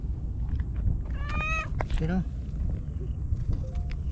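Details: White stray cat named Shiro, solitary on breakwater tetrapods in Japan, welcoming a visitor with a clear level meow followed quickly by a shorter, lower sliding one; a person's coaxing voice and faint outdoor noise underneath.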